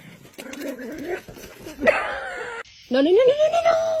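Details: Dog making noise while dreaming in its sleep: people talking at first, then a long tonal whine that rises and wavers before levelling off, ending the recording.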